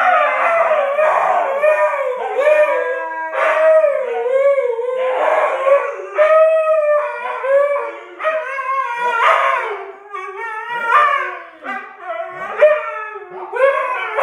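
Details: A pair of huskies in a continuous howling duet, voices sliding up and down in wavering, yodel-like phrases, one dropping into lower moans while the other holds higher notes, overlapping throughout.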